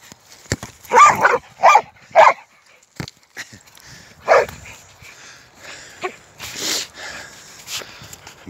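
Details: American Staffordshire Terrier at play with a football outside: three quick, punchy barks in a row, then a single bark after a pause, while a man talks in Polish and encourages the running.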